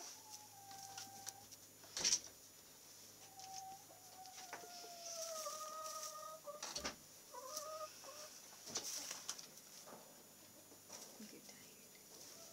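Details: Nigerian Dwarf goat kids about two weeks old, kept with a Great Pyrenees dog; several faint, drawn-out, wavering bleats, some sliding up or down, with quiet gaps between them and occasional sharp handling knocks.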